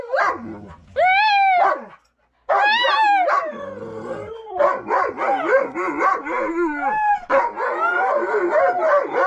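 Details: Siberian husky and Belgian malinois husky mix, eager while pulling a snowskate in light powder snow; rising-falling howls and whines merge into a dense continuous chorus of excited yips and barks.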